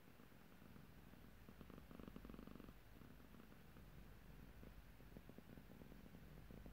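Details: A grumpy, annoyed house cat makes a low pulsed rumble, strongest around the second and third seconds, then continuing in softer, shorter bursts against a quiet indoor background.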